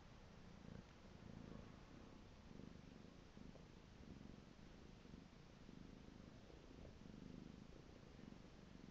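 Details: Domestic pet cat purring close by, a low rumbling purr pulsing in regular breath cycles roughly every second, each swell rising and fading, in a quiet room.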